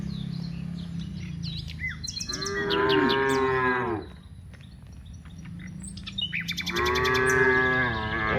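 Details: Cows in a herd of dozens heading from rice fields back to the village; two loud, rising-then-falling moos a few seconds apart, with small birds chirping and a constant low rumble underneath.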